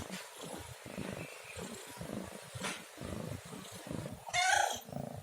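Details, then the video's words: Domestic cat with a single short, clear meow close to the end, preceded by a steady low rumbling background. "SUARA KUCING MENGEONG | Cat Meowing Sound"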